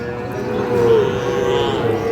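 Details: Sahiwal bull calves being fattened, at the Ambari cattle market in Parbatipur, Dinajpur, Bangladesh, on 11 May: one short, steady, mid-pitched moo holding a level tone throughout, over a low hum of market noise.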